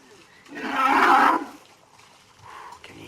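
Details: Large breeding herd of some 40 to 50 African elephants coming down to a watering hole at Djuma Private Game Reserve, Sabi Sand, Kruger, South Africa; one harsh, roaring blast lasting about a second, then quiet.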